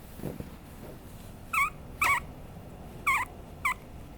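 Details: A Papillon puppy gives four short whiny yelps after a quiet start with soft rustling. Each is a wavering squeal with a bright overtone, spaced half a second to a second apart.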